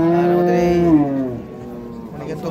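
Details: Dairy cows at a cattle market in Raniganj, Bangladesh, on 17 November 2025: a low, drawn-out moo that holds steady for about a second, then fades into background chatter and market noise.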